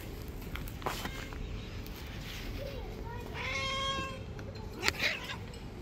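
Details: Angry white street cat bullying other street cats: a single drawn-out, harmonic meow rising then levelling, partly masked by steady background noise and faint clicks.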